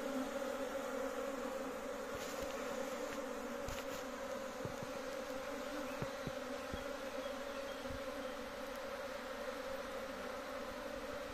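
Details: Big home-kept honey bee colony humming continuously, a dense steady drone layered in low and mid tones, punctuated by scattered short clicks and taps near the hive.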